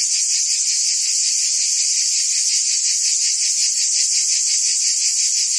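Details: Steady, hissing cicada chorus from forest trees, pulsing roughly 167 times a minute in a sustained high drone without pauses.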